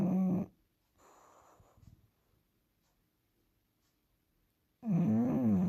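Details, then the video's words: Bulldog snoring: a loud buzzing snore at the start, a softer rasping breath, a long quiet gap, then another loud tonal snore with a wobbling pitch. "snoring bulldog"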